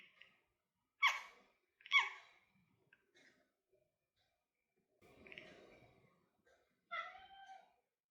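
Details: A domestic cat watching birds such as jackdaws, pigeons and magpies chirps and chatters at them. She gives short, bright chirps about a second apart, then a breathy pause and a longer, falling chirp-meow, in a quiet room.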